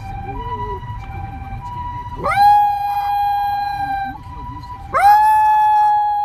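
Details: Shiba Inu named Maro howling in response to a siren: a steady two-tone siren wails throughout, while a smooth, sustained howl swells in twice, each rising quickly then holding a long level tone for about two seconds.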